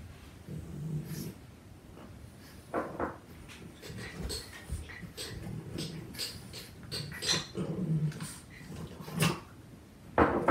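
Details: Two Boston Terriers, four-month-old Bruno and four-year-old Waldo, wrestling, nipping and tugging indoors; low rumbling growls and snorts come in short irregular bursts amid scuffling and thumps.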